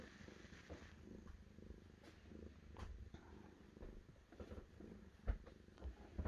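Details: Deep, soft purring from a cat, a low rumbling drone with gentle rhythmic swells, punctuated by a few small thumps and clicks near the end.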